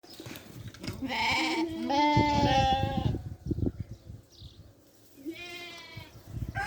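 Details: Farm sheep bleating while eating: two long, wavering, nasal bleats with a shaky vibrato, the first lasting about two seconds, then a quieter pause with soft chewing and rustling before a shorter final bleat.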